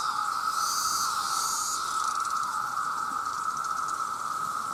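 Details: Male cicadas in their millions calling to attract mates, forming a loud, unchanging droning whine, while a higher hissing rattle swells early on and then fades.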